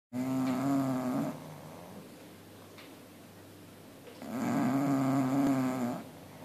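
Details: Two pet bulldogs snoring as they sleep: two loud, rattling, harmonic-rich snores of about a second each, with a quieter exhale between them.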